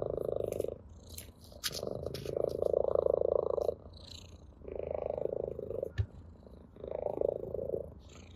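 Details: Orange tabby purring with pleasure during play with a blade of grass; four strong vibrating purr bouts, the loudest around the middle, with scattered clicks and soft grass rustling between.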